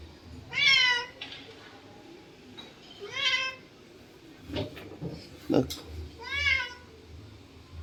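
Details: Domestic cat calling at a snake in the garden, giving three loud wavering meows spaced roughly three seconds apart, with people's excited voices and clatter heard between them.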